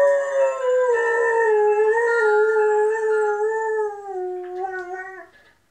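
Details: Howl from a saluki and German Shepherd cross reacting to an ice cream van: one long, unbroken, mournful tone with rich harmonics, gently wavering and slowly falling over about five seconds before fading out.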